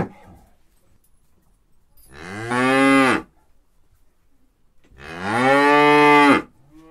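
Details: Cow (Bos taurus), moo.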